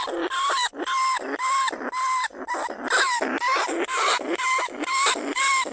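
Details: Caged lesser bandicoot rat in a rice-field trap at Na Lao, Nong Khu Phai, calling to draw other rats out of their burrows; live 2569 recording. Steady run of whining, harmonic squeals, nearly two per second, each slightly wavering in pitch.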